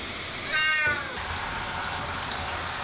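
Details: Ragdoll cat that hates baths yet cooperates, bathed at year's end: one short harmonic meow, rising then falling, lasting under half a second, over steady running water.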